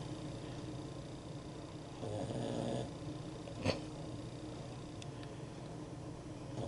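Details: A female Boston Terrier snoring, described as snoring like a man: a low, rough rumble that swells briefly before settling back.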